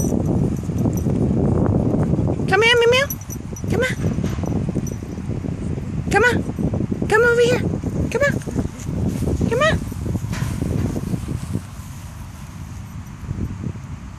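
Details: Chihuahua playing in a park, giving about six high, whiny yelps that bend up and then down in pitch, spaced a second or two apart, while a person keeps calling it over; leaves rustle outdoors.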